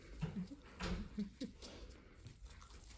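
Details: A young female Golden Retriever indoors in a small room gives short, low whimpering squeaks, several in quick succession over about three seconds, with soft handling noise and faint movement around her.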